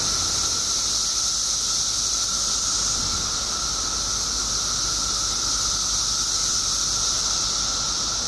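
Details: Illinois periodical cicadas, out in their billions after 17 years underground, fill the air with a continuous high, buzzy wash and an even, sustained whining tone, never pausing.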